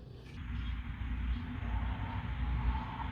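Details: Steady low rumble of vehicles or machinery with faint murmuring voices during a shopping outing in Orlando; no animal calls are heard.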